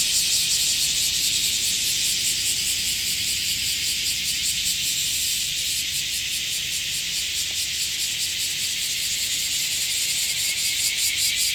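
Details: Cicadas in chorus at Sano Park in Shingu: a dense, loud, high-pitched hiss that fills the whole stretch, with a steady fast pulsing throbbing through it.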